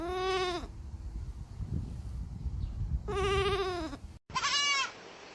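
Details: Baby goats bleating in three separate bursts, each a quavering, nasal cry under a second long, the last one higher and thinner; low rumbling background noise between calls.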